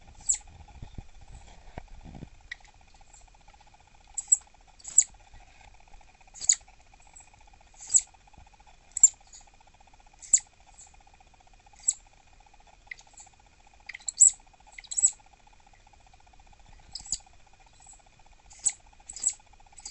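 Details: Southern flying squirrel Dahan, a captive female at peak irritation and refusing treats, repeats sharp high chirps, about fifteen over twenty seconds, some in quick pairs, over a quiet background with a faint hum.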